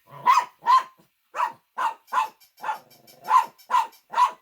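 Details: Shih Tzu barking in a fast, uneven series of sharp, mid-pitched barks, about nine in under five seconds, with short silent gaps between them.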